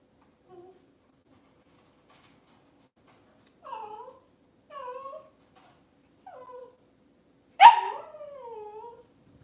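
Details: Cavalier King Charles Spaniel indoors in a kitchen on a cloudy Monday morning: a run of short, high whimpers with falling tones, then a sharp yelp that trails into a long, wavering whine.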